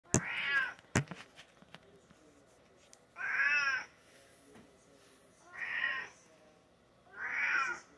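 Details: Domestic cat indoors meowing while waiting for treats: three drawn-out, harmonic meows about a second each, spaced roughly two seconds apart, after two sharp clicks at the start; a woman's voice speaks softly nearby.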